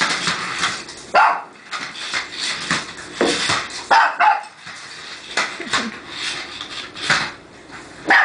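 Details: Sharp, bright yaps from a puppy reacting to a remote-controlled car, spaced roughly one every second, with a faint voice underneath.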